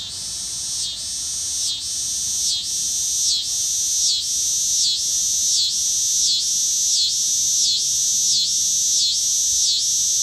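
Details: A single dog day cicada, landed on a deck umbrella in Lawrence, Kansas, on an August 2015 afternoon, gives its mating call: a loud, high, steady buzz pulsing slightly about every second.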